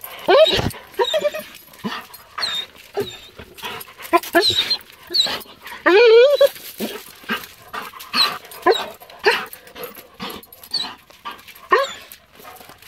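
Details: A Weimaraner, excited to see its owner come home after four days away, gives high, quavering whines in short, eager, rising-and-falling bursts, some stretching into yodel-like wails, while people talk. Finding: Weimaraner.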